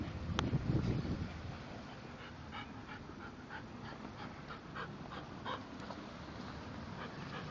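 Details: English bulldogs Spike and Molly playing with each other indoors: soft, rhythmic snuffling pants about three a second after a brief louder thump at the start, over a quiet room background.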